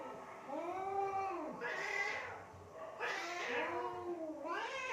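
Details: Cats fighting near mud and water in Assam, India, give low, moaning wails that arch slowly, broken by harsher, louder bursts of screeching.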